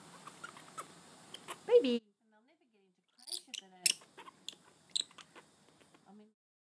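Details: Callum, a juvenile grey-headed flying-fox, protesting at being measured for his weekly forearm growth check: harsh, squeaky squawks in short bursts with gaps between, mixed with soft human speech.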